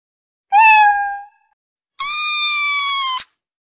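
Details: A female kitten gives two clear, drawn-out meows, the second higher and longer.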